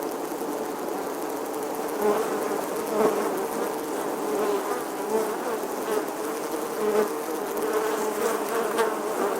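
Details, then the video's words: A bee droning in summertime, unbroken low hum with brief swells around the middle and end, the pitch wobbling slightly as the insect moves. "Bee Buzzing Sounds"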